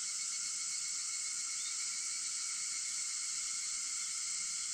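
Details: Cicadas on an early August morning at 4:50, 4 August, producing a flat, continuous high buzzing wash over steady insect tones, with a single faint chirp partway through.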